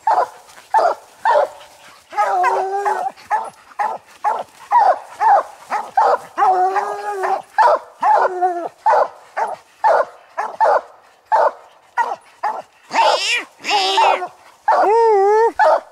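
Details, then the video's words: Coon dogs Lucky, Mossie and Star tree a raccoon on a night hunt, giving rapid chopped barks and several long quavering bawls, ending in a drawn-out howl. "Lucky, Mossie, and Star coon dog treed hunting"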